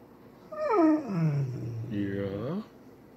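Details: Alaskan Malamute, described as polite and using its indoor voice, indoors: a two-part 'woo-woo' lasting about two seconds, with a falling first note and a rising-then-falling second note, rich in harmonics. A person talks just before and after.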